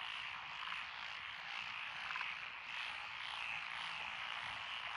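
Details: Countless frogs, among them Japanese tree frogs, pond frogs, wrinkled frogs, Schlegel's and forest green tree frogs, call from lotus paddies on a country road in Echizen, Fukui, Japan, 12 June 2021, in a continuous, softly swelling chorus.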